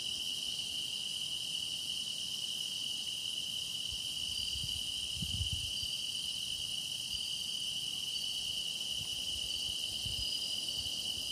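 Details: Grass insect song for meditation, a continuous high shrill trilling chorus holding one steady pitch band, layered with fainter higher buzzing voices, and a few soft low thumps in the background.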